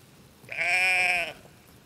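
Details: Single sheep baa from a farm, a bright, nasal, sustained bleat of under a second, even in pitch with a slight quaver, set against near silence.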